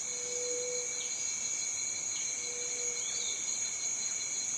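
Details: High, continuous cicada whine with no pauses, accompanied by two drawn-out low hums and faint scattered chirps.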